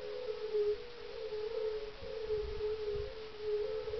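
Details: Chorus of European fire-bellied toads calling at dusk, 30 May 2011, in a glacial kettle pond amid fields near Parstein village, northeast of Berlin, Germany; many low, mournful 'oong' calls overlap into a continuous droning tone with slight wavering.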